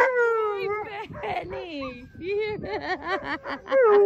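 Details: Two Alaskan Malamutes and a Labrador Retriever howl together at sled dog land training in Long Sault, Ontario, excited while waiting to run as a team: long wavering tones sliding downward and overlapping in a chorus.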